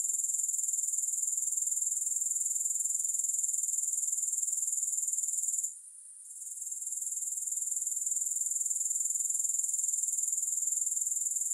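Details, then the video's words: High, ringing insect trill of grasshoppers, no music, beating steadily about four times per second, with a short gap midway before the sound swells back. "Grass Hopper Sounds"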